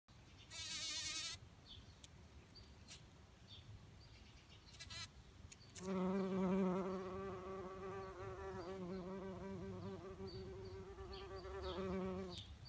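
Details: Bumblebees foraging in a garden on a morning: a low, steady, humming buzz rich in overtones starts about halfway through and swells and fades as a bee passes close, after brief high bird chirps and a short noisy burst.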